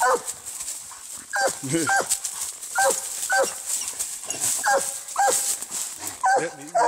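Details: Treeing Walker Coonhound fighting a raccoon, with spaced, sharp barks mixed with lower, wavering whine-like sounds, set against a persistent high hiss.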